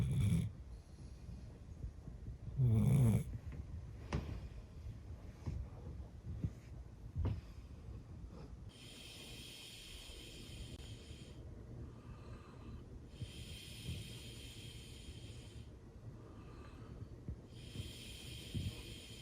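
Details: Golden retriever female aged eleven, fast asleep, with a couple of loud snorting snores early on, then slower, long, airy breaths drawn out for several seconds each over a steady low rumble, with no music.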